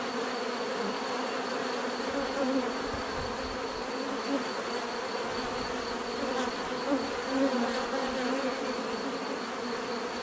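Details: Steady buzzing of many bees, a thick even drone with occasional individual bees swelling louder as they fly close, and a thin high tone running underneath the whole time.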